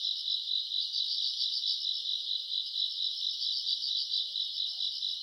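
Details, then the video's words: Grass insects calling at night in summer, recorded in August: continuous high-pitched pulsing chorus, chirps repeating roughly twice a second with a faint higher shimmer above, nothing else audible. "풀벌레 소리 가득한 밤"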